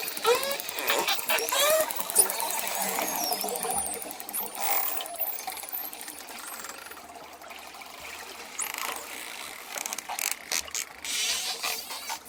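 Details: Dolphins give high, sweeping whistles mixed with rapid bursts of clicks underwater, combined with the sound of ocean waves.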